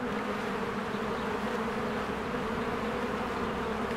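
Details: Honeybees in spring, many flying in and out of their hive while flowers bloom: a dense, steady buzzing hum with strong low droning bands. It stays even and unbroken throughout, with no other clear sounds.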